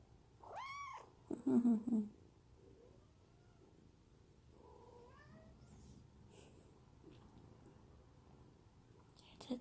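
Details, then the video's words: Munchkin kitten meowing under its owner's hand: one arched, harmonic meow, then a woman's soft Korean voice, with fainter small mews and rustling afterward. "집사 손길에 애옹애옹거리는 먼치킨아기고양이"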